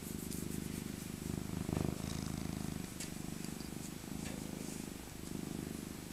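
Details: Maca, an old rescued tabby cat with a soft winter coat, purrs as she is cuddled; a deep, pulsing rumble broken into stretches of a second or two, swelling louder briefly near the middle, with soft handling rustles.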